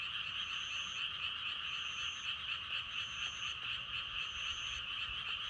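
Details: Frogs croaking among natural wind sounds, offered for meditation and sleep: a dense, unbroken mid-pitched chorus of overlapping calls, with a thin high whistling note returning about every second and a quarter.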